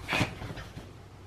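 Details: Cream poodle, annoyed at being refused a toy indoors, gives one short, sharp whiny vocalisation lasting about a quarter second, followed by quiet breathing and a person speaking Korean nearby.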